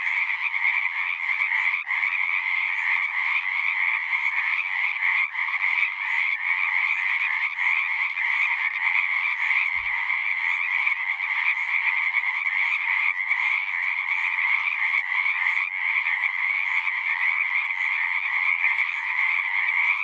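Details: Steady outdoor frog chorus, countless overlapping trilled croaks forming a constant buzzing drone at even loudness, a single soft low bump heard about halfway through.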